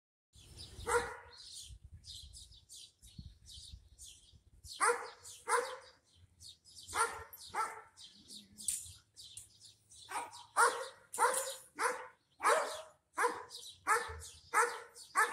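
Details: Dogs barking back and forth, one a German Shepherd in a far yard: bursts of sharp barks, some single, some in quick runs of two to four, about ninety-four per minute with uneven spacing, over faint background hum.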